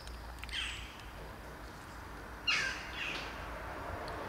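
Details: Three hungry kittens at feeding time, a greedy black kitten among them; a few short falling mews, high and harmonic, rise from a soft, steady background hiss.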